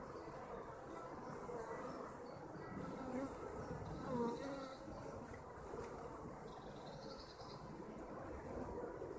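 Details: A colony of kept honeybees droning in a thick, even hum, with individual bees briefly swelling louder as they pass close, the buzz peaking around the middle before settling back to a steady murmur.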